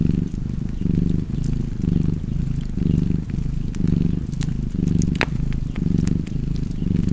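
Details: A cat's deep rhythmic purr, each breath a soft swell of rumbling, roughly one cycle per second, accompanied by scattered pops and a sharp crack from a fireplace.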